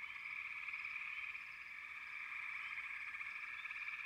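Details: Frogs in a dense, unbroken chorus: a steady pulsing trill holding throughout, with a few short rising chirps above it.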